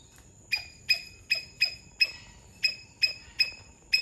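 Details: A Sri Lankan palm squirrel gives sharp, high chips, repeated at an uneven quick pace.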